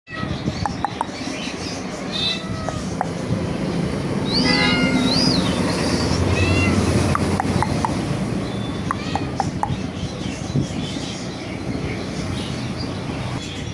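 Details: A domestic cat, said to have eaten two mice early in the morning and still hungry, gives a pair of short arched meows midway, among sharp clicks and steady low background rumble.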